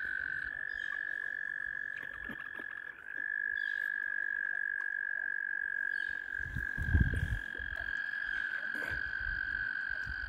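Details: Mating frogs crowding around a kayak, with egg laying said to come next, keep up a constant shrill trill at an even pitch, while low splashy rumbles and knocks rise midway.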